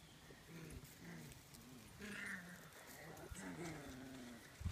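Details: Four-week-old Siberian Husky puppies from a litter of eight whine and yelp in soft, wavering, repeated cries while outdoors in nice weather among holes they dug.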